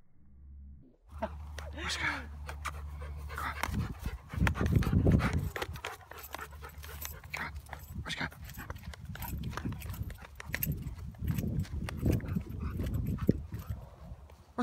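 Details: Siberian Husky playing around, recorded in slow motion; rapid, breathy panting runs in uneven bursts throughout, with low rumbling handling noise and a person calling at the end.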